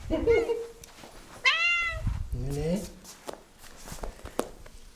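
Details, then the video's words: Domestic cat greeting its owner home after work with mrrps, as it does every time: a short chirped trill early, then a clear harmonic rising-falling meow, then a lower bent mrrp, with a human voice softly speaking indoors. "Cat Welcomes Me Home With Mrrps And Flops"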